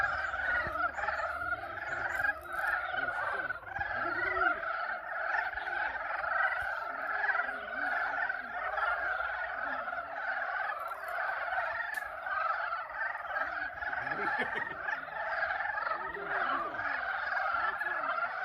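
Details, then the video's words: Pond chorus of frogs calling to mate in spring at Yulgok Arboretum: steady, dense croaking and trilling from numerous animals, unbroken for the whole stretch, with scattered lower notes underneath. "개구리 짝짓기 울음소리(율곡 수목원 연못) Frog mating calls (Yulgok Arboretum Pond)"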